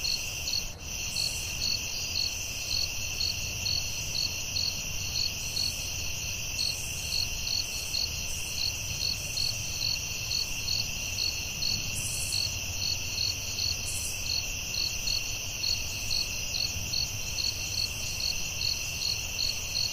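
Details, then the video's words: Crickets singing at night in the forest: dense high-pitched trilling with quick, even chirp pulses throughout, a click near the start and soft bursts of higher hiss scattered through. "Soothing Cricket🦗 Sounds at Night"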